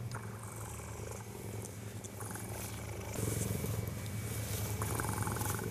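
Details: A cheetah purrs in a deep, steady, rumbling drone that pulses continuously on each breath, snuggling and grooming a person sleeping out in its enclosure on a sub-zero winter night in South Africa.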